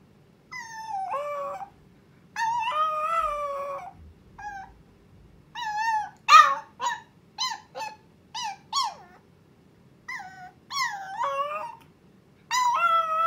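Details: Chihuahua puppy Miruku's first howl, sounded because she wants her owner right now: long wavering howls alternate with a run of short sharp yelps, then more bending howls over a faint low hum.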